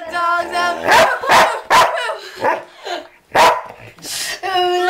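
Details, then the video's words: Very loud sheepdog at 2 a.m. joining in with "Who Let the Dogs Out", sounding a run of harsh, rapid barks between sustained, quavering howled notes at the start and end. "Sheepdog sings to "who let the dogs out""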